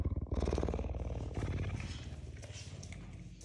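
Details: Captive puma named Ceaser living with a human family at home, a deep rapid rhythmic purr-like pulsing, about four pulses a second, low and continuous, with a woman's voice nearby.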